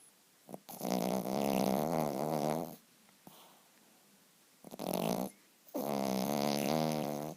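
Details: Sleeping pet poodle snoring indoors: two long, rasping, fluttering snores of about two seconds each, separated by a quiet pause with a brief shorter snort.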